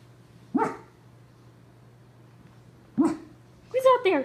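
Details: Skippy, a Pug and Cocker Spaniel mix lying lazily on his owner's lap instead of getting up, gives two short sharp barks about two seconds apart indoors, followed by a person's excited voice.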